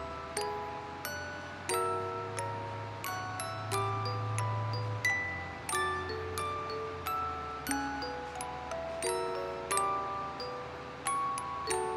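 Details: Glockenspiel-like mallet music plays, with bright chiming notes struck about every two seconds over a soft low drone, and no animal voice.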